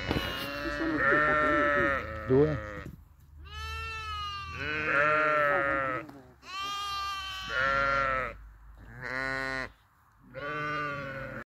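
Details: Grazing sheep in a flock bleating repeatedly: a run of strong, rich, quavering bleats of varied pitch, roughly one every one to two seconds, overlapping at times, with faint voices in the background.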